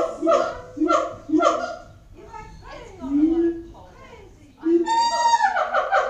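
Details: At Auckland Zoo, siamangs boom with three heavy barking notes, then wavering rising and falling hoots, ending in a loud, bright burst of rapid climbing notes.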